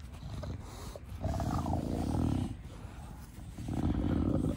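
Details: Pet bulldog in a garden with its owner, characteristic short-nosed 'fugo fugo' breathing: long low rasping snorty breaths in two sustained bouts, rhythmic and rough.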